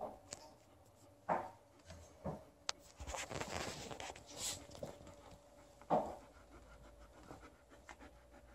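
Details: Liza, a female Alaskan Malamute, panting and snuffling on a bed indoors while testing her new donkey toy; soft breathy bursts, several sharper squeaks or thumps around one and six seconds, rustling between.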